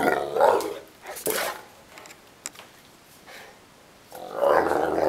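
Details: Neapolitan Mastiff, a Mastino Napoletano, complaining and wanting to play: rough, throaty growl-barks in two bursts separated by a quieter stretch of faint rustling and clicks.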